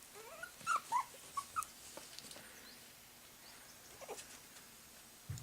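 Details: Puppies whimpering: a few short high squeaky yelps clustered in the first two seconds, then faint scattered whines over quiet room noise.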